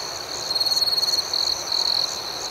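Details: Night crickets chirping: a first fast pulsed trill of about three-quarters of a second, then two shorter high bursts, over a constant shrill insect hum.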